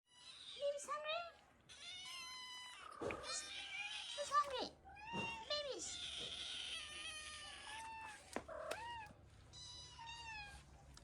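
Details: Ragdoll kittens from mother Elsa's first litter, kept as pets, meow while breakfast is held back. Many high, bending meows overlap one another, with a woman's voice talking over them.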